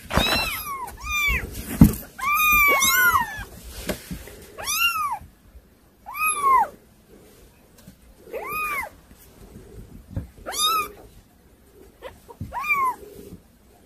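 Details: Unruly kittens meowing indoors: loud, clear meows that rise and fall, coming every one to two seconds, some overlapping in quick pairs and bursts, with quiet gaps between calls.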